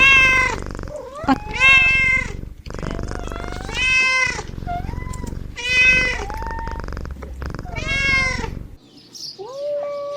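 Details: Playful kittens give repeated long, strained meows roughly every two seconds, some bending upward at the start, over steady low rumbling noise, ending with a softer, shorter mew.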